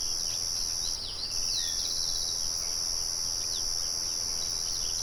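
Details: A steady, high, shimmering trill from crickets, with a windmill in the background, pauses for a moment near the one-second mark. A bird adds a few sweeping chirps and a short rattled phrase.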